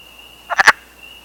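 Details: Wood frogs out of hibernation on a warm 21 April 2015 in Canada gather at temporary forest pools to mate; one gives a quick, raspy, duck-like chuckle of three clucks over a thin steady high whine.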